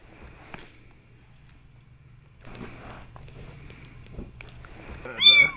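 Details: Kitten sucking on a person's thumb indoors; quiet rustling and soft sucking sounds, then one loud, high, rising-falling meow at the very end.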